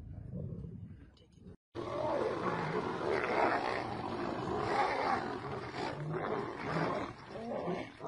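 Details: Female lions attacking a male lion while competing over a mate: continuous rough, snarling growls and roaring that fill almost eight seconds, broken by a brief silence near the start.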